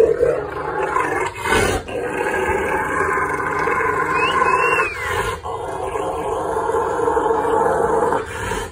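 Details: A male Rottweiler gives a long, rumbling, throaty growl of happy excitement while begging for and playing with his towel.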